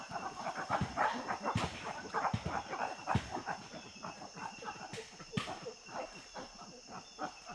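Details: Chimpanzee feeding in Tai Forest, Ivory Coast, West Africa: a fast, uneven run of soft, breathy panting grunts, roughly three a second, with a few louder, sharper grunts over a quiet, steady forest background.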